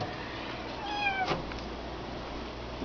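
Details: Kitten being dried in a towel after a bath, letting out a single soft falling meow amid a brushing rustle in a quiet small room.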